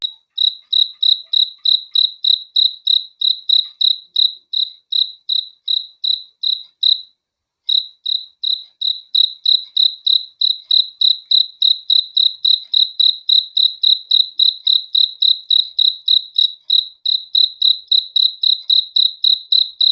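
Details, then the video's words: Night-time cricket calling in a long even train of bright, high chirps, roughly three to four per second, with one brief pause midway; quiet background otherwise. "THE SOUND OF CRICKETS FOR RELAXATION TO SLEEP AT NIGHT"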